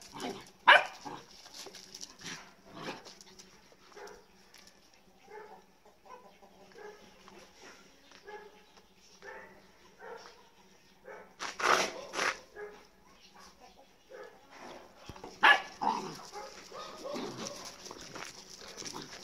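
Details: Playful Golden Retriever puppy, very lively and always wanting to play, letting out sharp yips and short barks in irregular bursts between quieter rustling and scuffling, with soft human speech underneath.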